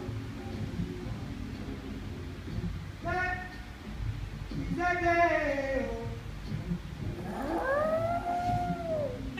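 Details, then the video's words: Pet dog howling along to the Day-O Banana Boat song: after a stretch of music, three long harmonic howls rise and fall, the last a drawn-out arching wail, over steady background music. "Mi perro cantando Day O banana Boat song"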